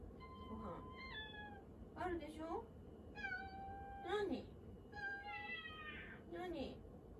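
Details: Cat named Mugi meowing for attention while someone stands in the kitchen, a repeated nyaa-nyaa habit; several clear, drawn-out meows with falling tones, about five in seven seconds, over a steady indoor hum with a woman talking softly.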